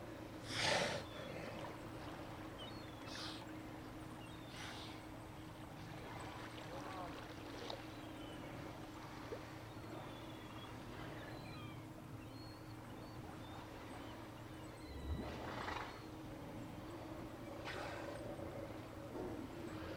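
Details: Remote cam audio from Sea Lion Beach, Hanson Island, in British Columbia's Johnstone Strait, 18 September 2018 afternoon: scattered rough, exhaled snorts and gasps from Steller sea lions, spaced several seconds apart, against constant low background rumble.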